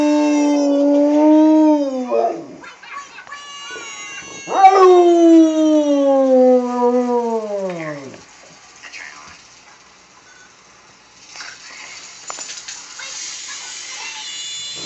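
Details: A Rottweiler, woken while sleeping on a couch, gives long, drawn-out downward-sliding howls at a Geico pig TV commercial, with faint voices and television sound behind.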